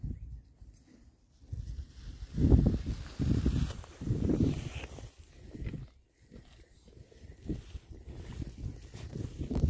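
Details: Six rare breed Oxford Sandy and Black pigs, all boys and happy, forage in winter between storms. Low, soft grunting oinks come in irregular bursts about once a second, with rustling and footsteps on the ground beneath.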